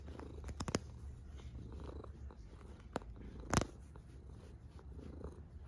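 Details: Sleeping cat snoring softly: a deep, even rumble pulsing with slow breathing, broken by a couple of brief sharp knocks.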